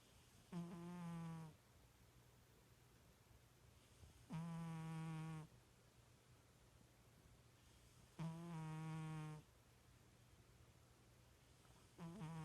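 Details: Snoring house cat asleep, said to sound like a little pig; rhythmic buzzy snores about a second long recur every three to four seconds against a low steady hum indoors.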